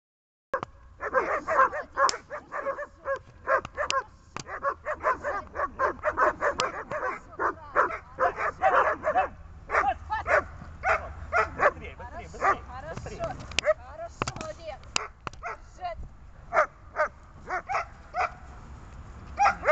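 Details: Dog on a tether during grip, fight and calming training, barking in a fast, dense run of sharp barks for most of the stretch, then easing into sparser yips and barks toward the end.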